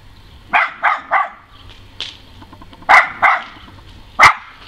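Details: A West Highland White Terrier has her voice tested, giving a quick series of sharp, high barks, pausing between bursts.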